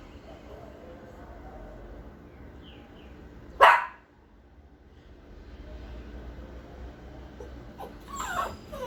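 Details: A Pinscher dog barking loudly and fiercely: one sharp, explosive bark near the middle, then a second rougher bark near the end, with quiet background hiss between.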